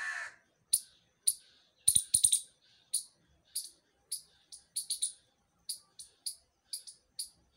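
A squirrel gives sharp, high, clicking chips at uneven intervals, sometimes doubled or tripled.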